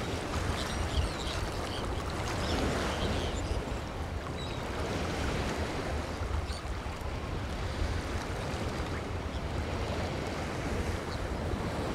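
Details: Steady wash of surf and wind with low rumbling water noise, no clear animal calls.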